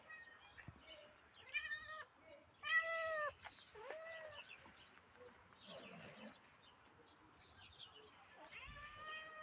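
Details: Tiny grey cat meowing repeatedly, with about five clear, tonal meows, some short and falling, one longer and drawn out, spaced over several seconds, with faint rustling and soft background noise between calls.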